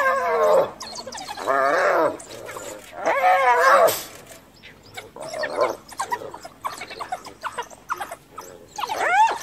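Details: Hyena mother attacked by wild dogs while guarding her dead cub calls for backup: repeated wavering, giggling yelps every second or two, fading into scattered squeaks and rustling before a final rising squeal.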